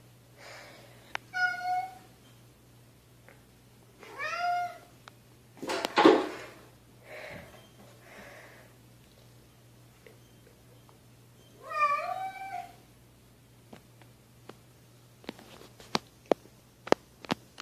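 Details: Kittens meowing indoors: repeated high, wavering meows spaced several seconds apart, one harsher noisy burst in between, and light tapping clicks toward the end over a constant low hum.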